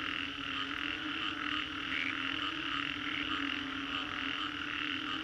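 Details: Singapore's Green Corridor after a storm, filled with an unbroken frog chorus: overlapping croaks and trills form a steady hum, with faint pulsing swells and one clearer call near two seconds.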